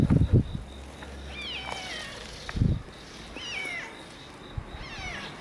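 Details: Two red tabby cats meet outside a park during an early-morning round, one timid and one friendly; drawn-out wavering meows rise and fall about every two seconds, with low thumps and rustling in between.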